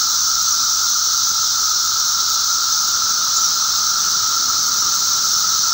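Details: Magicicada periodical cicadas calling together at their emergence, May 19, 2011, producing a relentless, even buzzing roar with a clear steady pitch beneath a shimmering high-frequency hiss.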